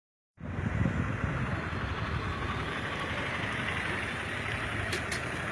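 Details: A steady rumble of idling vehicle engines fills the night air at Dudhwa National Park in India, with no animal voice heard.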